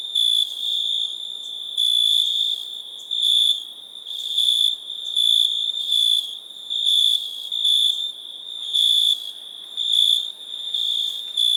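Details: Cricket sound: a shrill, ringing trill runs throughout, swelling into louder chirps every second or so in an uneven rhythm.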